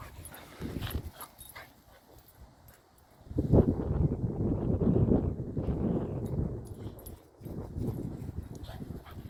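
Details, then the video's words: Lennon, Jasper and Duggie, three household dogs, romp together. After a quieter start with scuffling, sustained low rumbling growls rise at about three and a half seconds. They carry on in rough, uneven waves, with a short lull near seven seconds. "Dogs playing together - Part 3 - Lennon, Jasper & Duggie (natural sound)"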